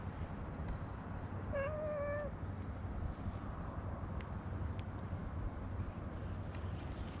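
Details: A quieter stray cat on a walking path, where other cats came over during petting, makes one wavering meow lasting under a second, then only faint ticks and soft outdoor background noise follow.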